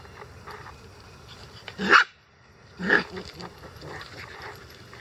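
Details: Month-old Icelandic Sheepdog puppies playing in a yard at 6 a.m.; two short, sharp barks about a second apart, over low background noise.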